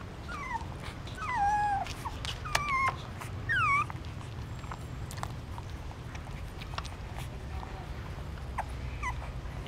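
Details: Newborn puppies suckling their mother's milk in the stupa of a pagoda in Siem Reap, Cambodia, looking hungry. Several high, thin squeals slide downward in the first four seconds, then fainter whimpers follow, over a steady low rumble.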